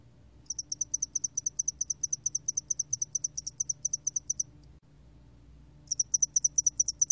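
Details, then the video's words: Spotted-wing hairy cricket recorded by Korea's National Institute of Biological Resources in 2020: long train of very high, thin chirps, many doubled, about four seconds long, then a short pause before the trains resume. "점날개털귀뚜라미, 여러번 듣기, 곤충소리"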